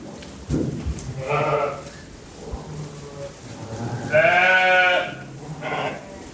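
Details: Lambs bleating: two clear harmonic bleats, a shorter one near 1.5 seconds and a longer wavering one around 4–5 seconds, then a brief third bleat, over low background rumble.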